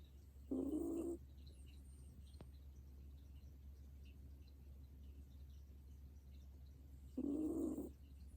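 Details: Old dog asleep, snoring: two short nasal, faintly whistling snore bursts about six seconds apart, each under a second long, over a steady low indoor hum.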